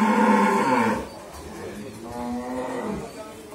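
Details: Mundi breed cow on a dairy farm in Bhangura, Pabna, Bangladesh, pregnant with her first calf at nine months: a loud, full harmonic moo lasting about a second, then a softer, drawn-out second low moo, with faint background voices.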